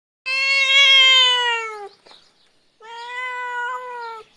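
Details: A small kitten gives two drawn-out, high, harmonic-rich meows, the first about one and a half seconds long and slightly falling, the second a little softer after a short pause, in a quiet setting.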